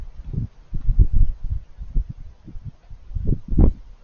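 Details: Raccoons eating, making cute little crunchy noises: soft, low, irregular chewing crunches and smacks come in quick bursts, with a sharper crunch near the end and no other clear sounds.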